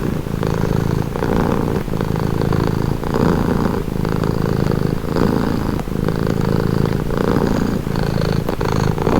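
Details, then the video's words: Calm cat purr, a soft low rumble pulsing in regular breath cycles roughly every second and a half, steady and uninterrupted. "Purring cat | Calming Relaxing Nature Sound"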